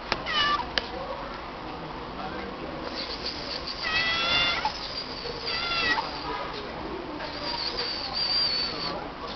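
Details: Meowing from a female stray cat that calls back whenever people say her name: two clear, tonal meows roughly two seconds apart, then a thinner high cry, over a low murmur of voices.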